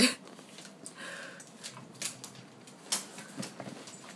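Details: Siberian Husky puppy Thor, eight weeks old, playing rough indoors with Maddie, a 15-year-old dog; a short tonal whine near the one-second mark stands out among scuffling, clicks and soft thumps of play.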